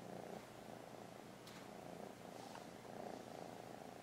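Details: Steady rumbling purr from JEJE the kitten during paw-giving training, evenly pulsed and continuous, with one or two light taps in a quiet indoor setting.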